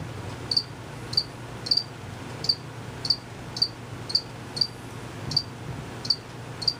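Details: Unseen male crickets make their chirp by rapidly moving their wings. Brief, sharp, high chirps come roughly every half second to second, a few paired, above a faint low background drone.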